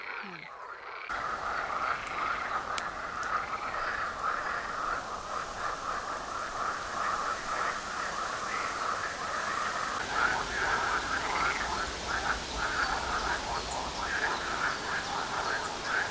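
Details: Many frogs calling together at a pond, audible day and night from houses 800 metres away: a steady mid-pitched croaking hum with rapid rattling pulses, about two per second, after a brief handling noise at the start.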